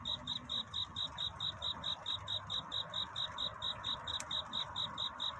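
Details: Night-time cricket song sung to find a mate, near dawn. A steady train of bright, high chirps repeats about twice per second over a soft, muffled background, with one brief click.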